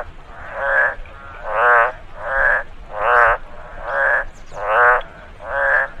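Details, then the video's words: After rainfall in a rice field, frogs produce strong nasal croaks, each roughly half a second with a trilled texture, repeating a little faster than once per second over soft background noise. "Frog noise after rainfall in the rice field"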